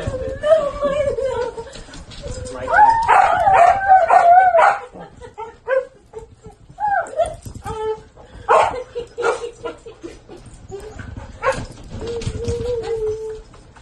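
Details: Pet dog whining and yipping, with a long wavering whine early on, then scattered short yelps and a drawn-out whimper near the end. People speak over the calls.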